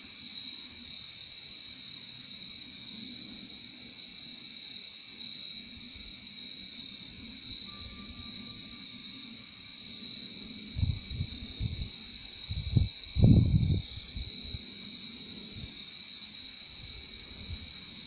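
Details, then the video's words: Crickets in a relaxing nature recording: a steady, unbroken high-pitched trill with a fainter lower band beneath, interrupted midway by a few low rumbling thumps and a brief thin tone. "Relaxing sound of crickets"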